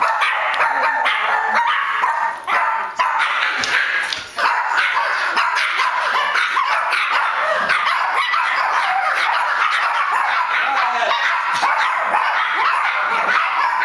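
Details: Chihuahuas barking at a person coming through the door keep up a frantic run of shrill, sharp yaps tumbling over one another with hardly a pause, thin and high as from very small dogs.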